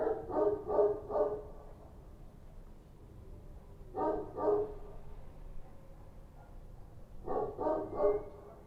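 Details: Barking of Kochi street dogs at night in Kabul, coming in three clustered bursts of rapid, fairly deep barks, roughly three to four barks each, separated by quieter gaps of about two seconds with low background hum.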